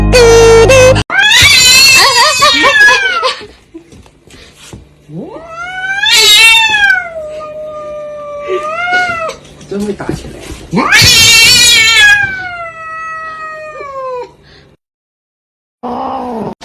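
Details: Cats confronting mirrors, giving loud wavering yowls several seconds long that swoop up and then slide down, with music, screaming and laughter mixed in.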